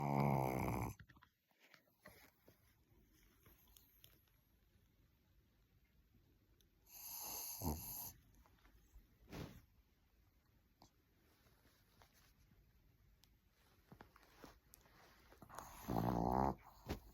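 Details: Sleeping dog snoring indoors in a small room: three loud, rough, broadband snorts near the start, around seven to eight seconds and again near sixteen seconds, separated by long quiet stretches of soft breathing.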